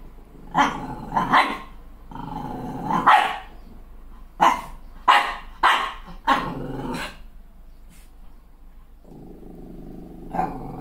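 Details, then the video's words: Malshi crossbreed puppy furious at her reflection in the mirror after a new haircut, alternating low sustained growls with bursts of loud barks, roughly nine sharp barks in clusters, ending in a long low growl and a final bark. "Malshi Puppy's Epic Meltdown Over a Haircut"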